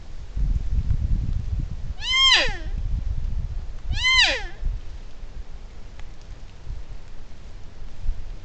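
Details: A young spiker deer on a trail camera gives two nasal, bleating calls that slide downward, with low wind rumble behind.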